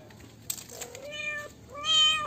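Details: Two kitten meows, the first a level, drawn-out cry and the second louder and brighter, each lasting about half a second, in a quiet indoor setting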